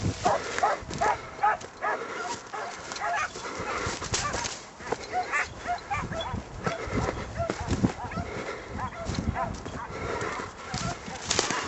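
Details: Kopoy hunting hounds giving voice during a hare hunt just after the hare has been flushed. Several hounds bay in overlapping bursts, some distant, over a rough outdoor background with wind-like noise and a man's voice.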